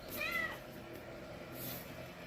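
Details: Domestic cat giving one brief, high, slightly rising meow near the start, then steady background hiss and low hum.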